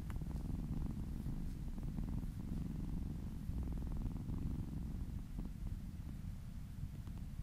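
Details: Domestic cat or kitten purring happily while being massaged indoors; a steady, deep rumbling purr with fine rapid pulsing that continues unbroken throughout, with slight rhythmic swells.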